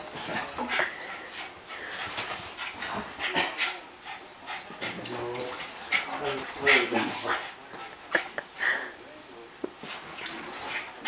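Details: A Cairn Terrier, just after a bath, pants and gives soft, high whimpers, with a person talking nearby.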